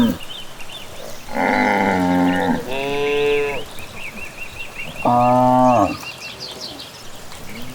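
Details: Cows walk back from pasture in the evening through the countryside, lowing in three drawn-out harmonic moos, one ending in a downward slide, with bird twitters behind them.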